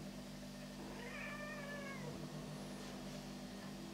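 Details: Black house cat walking around and talking, one drawn-out wavering meow lasting about a second, rising then sliding down, over a constant low electrical hum.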